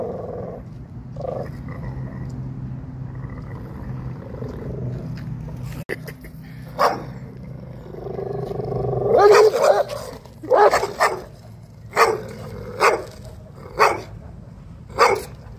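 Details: American Staffordshire Terrier behaving aggressively: a low rumbling growl for the first half, then a burst of harsh growling snarls followed by sharp barks repeated about once per second, with background noise throughout.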